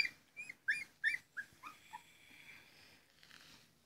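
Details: Labrador Retriever puppies during morning cuddles, a short run of thin, high whimpers and squeaks, about six quick notes falling in pitch and fading, in a quiet room.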